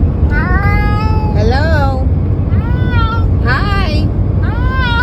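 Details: A pet cat "talking" with its owner, meowing back in turn: four harmonic meows roughly a second apart, some rising then falling. A constant loud low rumble underneath and people greeting it around the calls.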